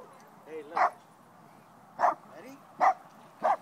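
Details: Dog Pao barking at other dogs at a Pasadena park while playing with Teddy; short bursty barks at irregular intervals, four strong ones across the stretch, with faint voices calling in between.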